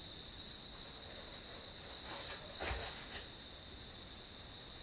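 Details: Grass insects used as white noise while studying: a thin, high trill with soft pulsing, briefly blurred midway by a dull thump and some broad rustling before the steady chirring returns.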